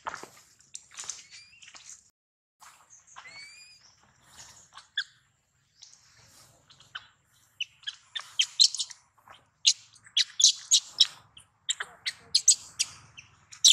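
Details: Baby monkey Daniela, taken from her mother Dana by another monkey, crying loudly to call her mother; thin high rising and arching whistled squeals early on, then dense bursts of shrill broadband screeches.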